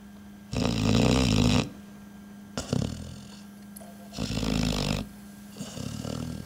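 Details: Sleeping on a boot, the dog Sanchez gives deep raspy snores, a long loud inhale followed by shorter, softer breaths, indoors in a quiet room.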